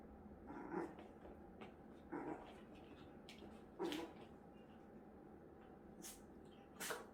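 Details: Three-month-old Maltese puppy, adopted three days earlier, settling into a new home indoors; short, soft yelps sound every one to two seconds over low room noise with a few faint clicks.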